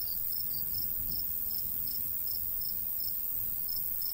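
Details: Regular high chirps from crickets in a summer wheat-field countryside, evenly spaced about three per second, with a dense shimmering insect chorus above and light wind noise below.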